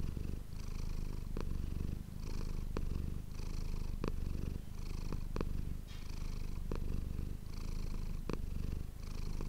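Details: Manis, a domestic cat, purring, recorded close up indoors with an ASMR microphone: a steady, low rumbling purr pulsing in breathing cycles roughly every one to one and a half seconds, with faint soft clicks between breaths.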